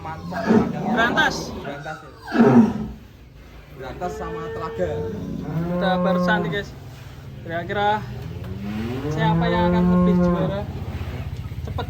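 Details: Giant Pegon cattle giving three long, deep moos, the last rising slightly before tailing off; sharp knocks and human voices come first.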